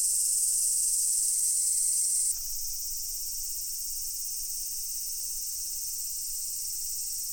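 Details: Cicadas chorusing at Daichuji temple, Ōhira town: a piercing, sustained high whine over a dense buzz for two seconds, then it drops away, leaving a quieter, continuous shrill drone.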